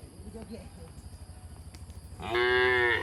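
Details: Herded through woodland to their shed, happily jumping cattle: soft rustling and thuds, then a sudden loud, strong moo that holds steady for almost a second at the end.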